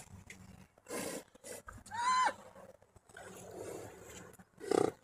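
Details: Stallion leading away two mares: one short tonal squeal with a slightly falling pitch, set among several breathy, rushing snort-like bursts and quiet outdoor background.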